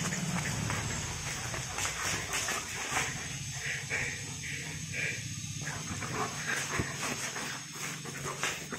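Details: German Shepherd giving short, high whines, a small cluster of them near the middle, set against steady broadband hiss and low hum.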